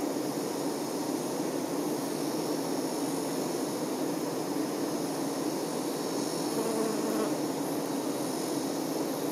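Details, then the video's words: Honey bee workers tending their queen, a dense, steady hum of many wings with energy concentrated in the low-middle range, continuous without pauses for over nine seconds, a faint rising whine around the seventh second. "Nature ASMR-honey bee"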